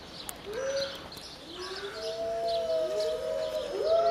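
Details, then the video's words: Captive wolves at Berlin Zoo howling: a short rising howl, then long, smooth, sustained tones from several animals overlapping and sliding slightly in pitch, growing louder toward the end. "Howling Wolves"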